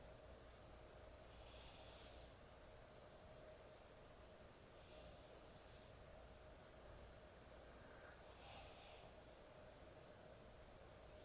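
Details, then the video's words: Sleeping dog snoring heavily indoors at bedtime, soft hissing snore breaths returning roughly every three and a half seconds over a steady low hum of room noise. "코골이 강아지의 취침시간"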